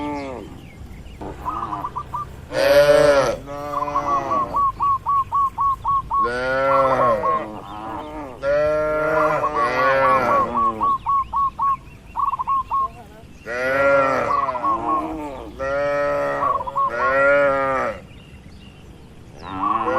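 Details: A large barn full of cows on a traditional livestock farm; repeated moos, some swelling and falling in pitch, come in clusters across the stretch, with strings of quick, evenly spaced chirps between calls.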